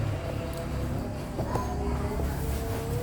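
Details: Loud background music with a heavy low beat and sustained tones, mixed with faint voices and no animal call.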